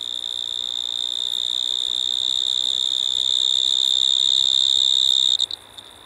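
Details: Pteronemobius lineolatus, the Striped Marsh-cricket, singing in Maggia, Switzerland, 1 September 2023, via ultrasound detector: an unbroken high-pitched trill with a fainter upper overtone, holding steady for five seconds before cutting off abruptly into quiet.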